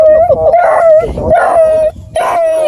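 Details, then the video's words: Nine-week-old Bluetick Beagle cross puppies from the Remington and Hank litter, near Kingston, Ontario, Canada, vocalising loudly: three drawn-out, wavering howls with rich overtones, each held for about half a second or more, with a brief quiet gap before the last. "Very vocal 9 WEEK Bluetick Beagle X puppies!"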